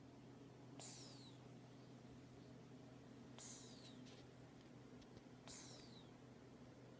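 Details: A dozing cat gives whistling snores, three airy bursts each with a falling high note, about two and a half seconds apart, steady hum underneath.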